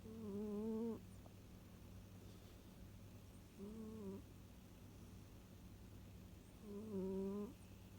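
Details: Domestic cat snoring while feeling cosy: three rough, buzzy, droning snores about a second long, spaced roughly three seconds apart, with quiet breathing between them.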